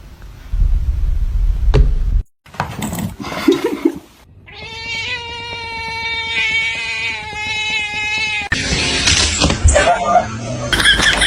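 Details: Domestic cat giving one long, drawn-out yowl held for about four seconds at a steady pitch with rich harmonics. Thumps and rustling come before it, and a clattering burst of noise follows.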